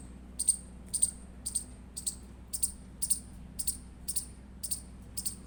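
An Indian palm squirrel gives sharp, high chirps, about two each second, in a steady run.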